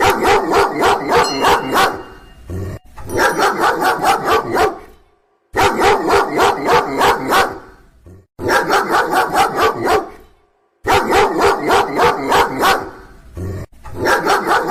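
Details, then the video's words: Dog barking loudly in rapid, harsh barks about four per second, grouped into runs of two to three seconds that stop abruptly into silence before the next burst begins. "DOG BARKING LOUDLY SOUND | SUARA ANJING MENGGONGONG"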